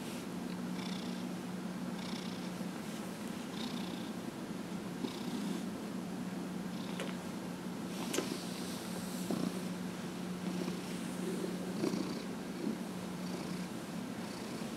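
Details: Steady purr from Dillard the cat, aged 15 and a half, enjoying a massage on January 31, 2018; low even rumble with gentle inhale-exhale swells and occasional small handling taps.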